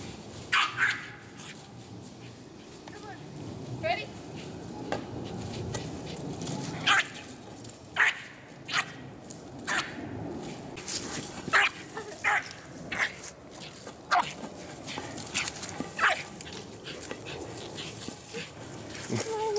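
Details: Eskie, a white Nordic spitz breed, giving scattered sharp barks and yips at irregular intervals, some in quick pairs, over a steady murmur of background noise and voices.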